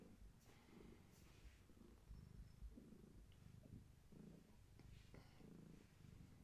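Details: Gaia, a long-haired tabby cat pregnant with many kittens, rests indoors while held steady; a low rumbling purr pulses on and off in bursts roughly every second, with soft handling rustles and faint clicks.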